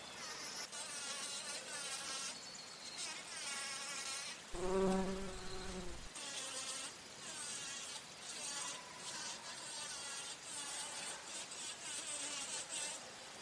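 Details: Bumblebee among flowers while feeding on nectar: a loud, low droning buzz lasting about one and a half seconds in the middle. Around it are thinner, higher wavering insect hums and a shrill insect chorus.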